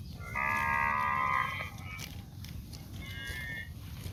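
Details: Cow out in green grass fields: one loud, sustained harmonic moo lasting about a second, followed by a fainter, shorter lowing, with low rumbling noise underneath.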